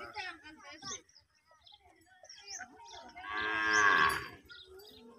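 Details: A baby water buffalo calf, crying to its mother for milk, gives a loud, drawn-out, nasal moo after a few shorter wavering calls.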